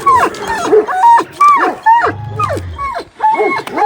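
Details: Kangal dog, Duman or Beraz, taken into wolf territory: a rapid run of high whining yelps and yips, each sliding up then down, about two per second with brief gaps, and a faint low rumble underneath.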